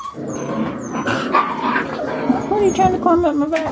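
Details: Carolina Dog puppies, five weeks and four days old, at play: thin whining yips and whimpers that bend up and down, thickest in the second half, while a person talks over them throughout.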